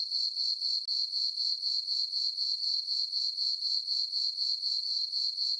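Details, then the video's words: Night chorus of crickets in a summer meadow on a farm under a full moon; high, ringing chirps repeat in a tight, regular pulse near four per second, with a brief dip early on. "Cricket chirping sounds for sleeping"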